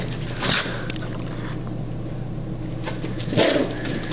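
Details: Beshert, a much-missed pet dog filmed in 2005, indoors during play as a person teases that they are coming to get it; two short high whimpering yelps stand out over steady room hum, with a voice talking between them.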